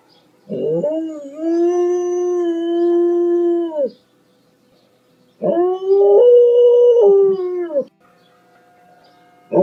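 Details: Loud dog howls in two long phrases, each opening with a rising scoop, holding a wavering tone for about two seconds, then fading, separated by a short quiet gap.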